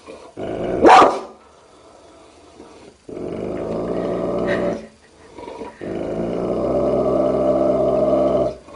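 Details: Dog from a compilation of funny barking dogs gives one loud bark, then two drawn-out low rumbling growls separated by a short pause.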